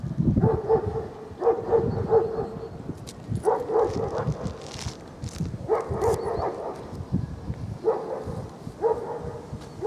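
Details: Young male Central Asian Shepherd Dog (Alabai) giving short, tonal barks and yips in clusters of two to four, each cluster a couple of seconds apart, over low rumbling and rustling background noise.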